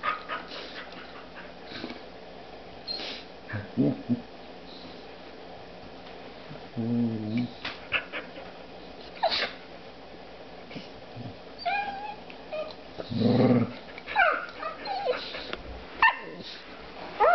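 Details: Dog romping with a new puppy in the evening, making short harmonic whines and throaty growl-barks in spaced bursts amid scuffling, while a person cheers them on.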